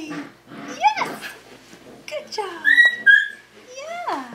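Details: Indoors, five-week-old Tamaskan Dog puppies at the Puppy Culture box game give thin whines that swoop up and fall, several tonal cries in quick succession, while human voices talk in the background.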